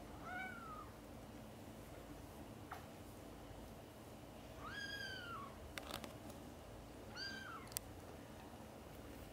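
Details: A mother cat gives three rising-then-falling meows, calling her kittens, busy playing and sleeping, to wake up for lunch time.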